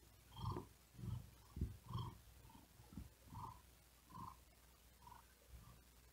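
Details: A tired cat sleeping on a wooden desk on a very hot day, breathing quickly and with effort; low rumbling purr bursts come in uneven pulses about once a second, with soft faint overtones and a quiet background.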